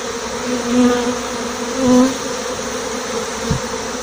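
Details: Swarm of honey bees departing a six-frame nucleus hive with their white-marked queen, filmed live. A loud, steady buzzing drone swells twice into brief, clearer humming tones about a second apart, with a soft knock near the end.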